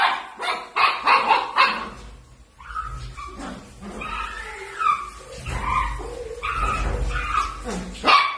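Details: Miniature dachshund at play, indoors: a quick string of sharp barks, then a series of high, thin whining notes, some rising and falling, over a low room rumble.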